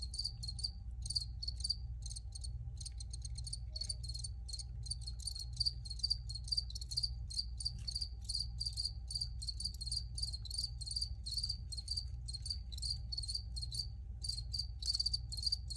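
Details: Crickets recorded for relaxation, nearly continuous rapid chirping in fast pulsed trains, barely pausing, over an even low background rumble and a faint constant tone.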